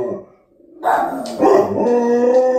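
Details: A male Labrador Retriever howls for the first time, a low, drawn-out, wavering howl that sounds almost like a cow's moo; a smaller companion dog seems not to like the noise.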